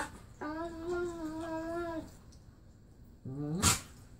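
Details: Indoors, pit bull Marley romps with his foster sister, said to sound like a Wookie; a steady, slightly higher moaning tone lasts over a second, then a shorter rising groan ends in a sharp thump.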